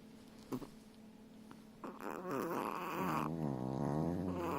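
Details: A pair of Chihuahuas snoring indoors: a quiet opening with a few soft snuffles, then from about two seconds a continuous raspy, wavering snore with nasal whistling overtones that grows louder and runs to the end.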